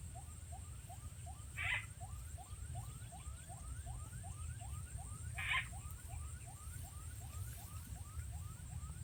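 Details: Frog in rural farmland in Rizal, Nueva Ecija, responding to a played frog sound during frog catching: a steady train of short rising chirps repeated about four times a second, with two brief louder bursts over a low rumbling background.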